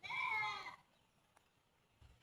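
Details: Goat bleating at feeding time: one short, bright, wavering bleat lasting under a second, then near silence with faint clicks.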